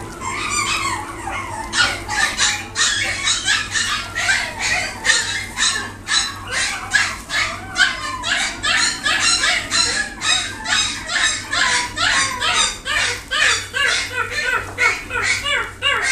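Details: A male long-coat Chihuahua, isabella tan in colour, yaps in quick, high-pitched bursts, barking over and over at a brisk pace.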